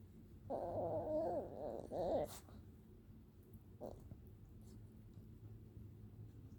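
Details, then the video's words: Puppy making soft baby sounds when greeted good morning: two wavering, warbling whimpers around one second each, then quiet with a faint click and low room hum. "Puppy Cece makes baby sounds when Daphne says good morning."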